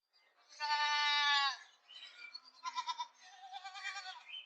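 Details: Male goat call: a clear, strained bleat, slightly falling in pitch, followed by a series of shorter, throatier, stuttering bleats. It has a thin, high quality and there is no other noise.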